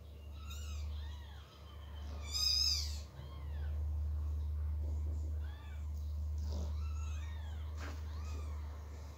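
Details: Persian kitten meowing loudly while the mother cat moves it from a box onto the floor; a run of repeated rising-falling meows, one shrill and strained, over a constant low electrical hum.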